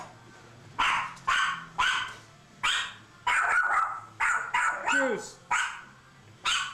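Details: Pet dogs barking in reply to someone calling out, a steady string of about ten loud, sharp barks spaced roughly half a second apart, with faint speech in the background.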